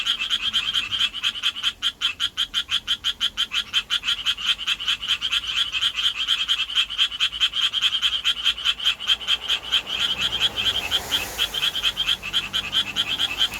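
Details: Japanese tree frog giving its courtship call in the city, vocal sac ballooning with each note: fast, rasping pulsed croaks repeated without pause, with a faint hiss of background noise near the end.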